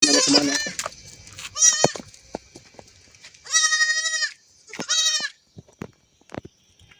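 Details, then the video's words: Young goat kid bleating: several quavering, nasal 'mbek' bleats, the two longest near the middle lasting about half a second each, with clicks and rustling between them. "SUARA ANAK KAMBING LUCU MBEK MBEK"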